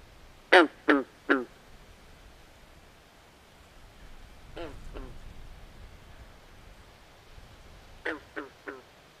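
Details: Night-time swamp frogs give clucking, quacking croaks in tight runs of two or three, a loud trio at the start, a softer pair midway and another trio near the end, over faint ambient hiss.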